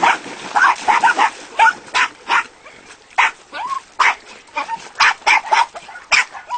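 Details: Jack Russell terriers of the Castell'Anselmo kennel yap in quick repeated barks, broken by short rising-and-falling whines between bursts.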